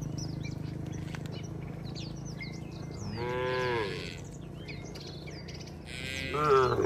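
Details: A tame village cattle herd walking home to the shed, calling to herd-mates: two rising moos a few seconds apart over a steady low engine-like rumble, with birds chirping overhead.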